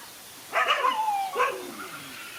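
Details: Male dog fighting two other male dogs; a long, strained, whining bark followed by a shorter harsh bark, then quiet background.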